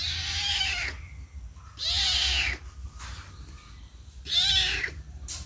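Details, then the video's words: Kitten meowing for its mother, which then comes to it; three loud, drawn-out meows at roughly two-second intervals, each bright and harmonic with a bending pitch, over a low steady background rumble. "suara anak kucing mencari induk"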